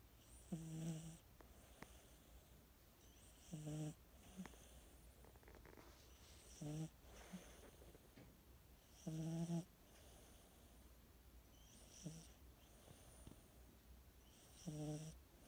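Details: Sleeping cat snoring: low, buzzy, harmonic rasps lasting about half a second, repeated every two to three seconds, with fainter breathy snuffles between them in a quiet room.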